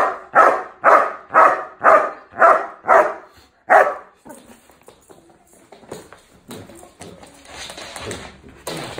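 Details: A Doberman puppy learning hold-and-bark training barks on command: seven sharp barks about twice a second, then quiet rustling.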